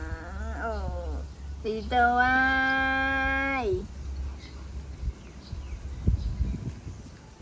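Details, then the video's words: Baby monkey throwing a tantrum as its mother leaves: a short wavering cry, then a long, steady, strained scream lasting almost two seconds that ends in a falling squeal, over a low background hum. "Adorable Baby Monkey Tantrum When Mom Leaving"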